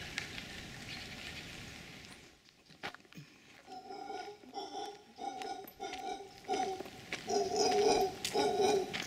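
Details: Wild howler monkeys in their natural habitat near Potrero, a rural town in Guanacaste, Costa Rica, 2012. After a quiet start, harsh guttural barking bursts come in quick succession, growing louder and denser toward the end.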